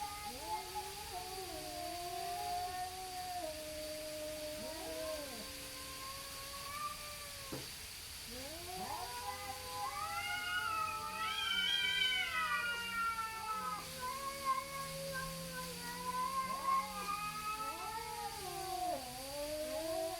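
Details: Two neighbourhood cats, possibly tabbies, facing off and stalling a fight: long wavering yowls that rise and fall and overlap, drawn-out moaning caterwauls with a brief higher wailing peak midway, over a steady background hum.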